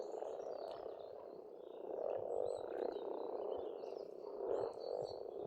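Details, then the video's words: Pond frogs in spring, Estonia, calling en masse: a steady throbbing croak that rises in loudness around the middle, while birds add short high whistles and chirps. "Расслабляющее пение птиц и лягушек, весна, природа."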